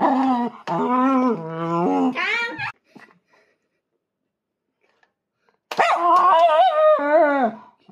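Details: Indoor pet Miniature Schnauzer with a panic-disorder-like condition and a big voice, 'singing opera' because it wants to join a family board game: long wavering, rising and falling tonal howls, two bouts split by silence.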